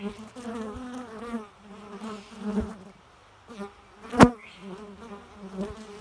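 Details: Droning bee buzz in uneven surges, deep humming tone with shimmering overtones, a brief lull midway and one loud sharp crack just after four seconds.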